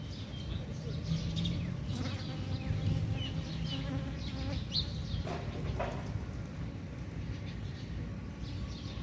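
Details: Dwarf honey bees flying out on a morning forage, jostling to sip nectar from flowers in front of Surin Provincial Hall, Thailand; a low droning hum rises and falls, with scattered chirps of small birds above it.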